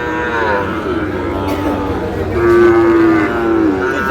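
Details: Sahiwal cattle at a market in Madaripur, Bangladesh, on 3 April, where a farmer buys a bull calf: two drawn-out, harmonic lowing moos, the second steadier and louder, over a low murmur of market voices.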